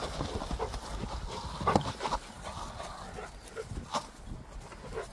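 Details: A pet dog named Gorlock The Destroyer grunting while eating and playing, giving short rough snorting bursts repeated irregularly at roughly two or three per second.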